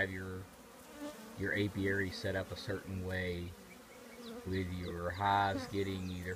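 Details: Honey bees from a colony living in an old trash can, buzzing close by in a low, steady drone that swells and breaks off in short bursts, with pitch bending up and down as individual bees fly past.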